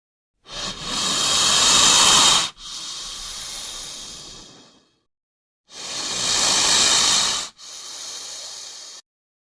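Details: Snake hissing while attacking: two loud, rasping hisses a few seconds apart, each trailing into a quieter, breathier hiss before falling silent.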